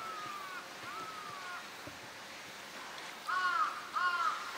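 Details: California sea lions kept at Higashiyama Zoo and Botanical Garden, Japan, recorded 12 September 2023, herd boss Felix among them; faint drawn-out tonal calls, then two louder arched calls near the end, against steady ambient noise.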